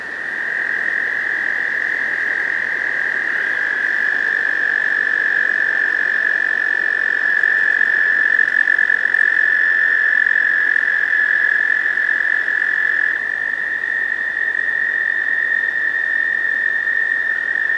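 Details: Male American toads gathered in a spring breeding pond, usually in May, singing to attract females: long, steady, high-pitched musical trills overlapping continuously, with several males at slightly different pitches.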